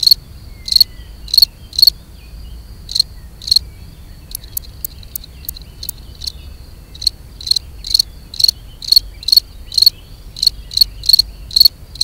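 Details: Gryllus campestris, the European field cricket, singing to mate: bright high chirps in uneven runs, broken midway by a burst of faster, thinner ticks before the regular chirping resumes.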